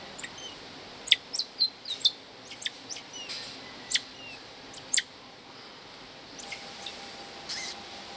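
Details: Emperor tamarins in the Loro Parque family group, where two new babies have joined older siblings: sharp, very high thin chirps and squeaks, about ten quick notes over five seconds, then fainter calls, over a steady low hum.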